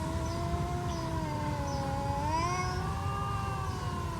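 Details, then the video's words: Two stray cats in a standoff, one long drawn-out wavering yowl held for the whole clip with slowly sliding pitch, a brief rising swell in the middle, over low background rumble. "Stray cats trash talking"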